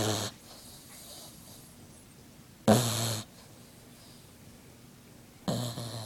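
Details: A sleeping Frengle puppy snoring: a few loud, broad, rasping snorts about every two and a half seconds, separated by quiet breathing indoors.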